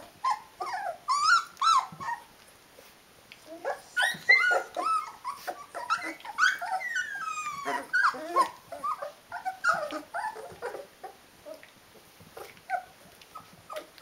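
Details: Litter of Rhodesian Ridgeback puppies at 19 days old, a dense chorus of overlapping squeals, whines and grunting whimpers, rapid and irregular, fading toward quieter scattered peeps.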